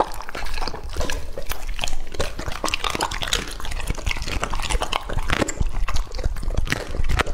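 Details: Wet, slurping chewing from Lucky, a two-and-a-half-year-old English-type Labrador Retriever eating raw meat, with dripping, liquid-sounding bites and smacks in a steady, uneven stream.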